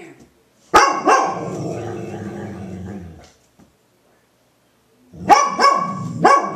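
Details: A female Golden Retriever, described as crazy mad, gives throaty barks in short bursts, muffling them with her blanket, with a person's voice nearby.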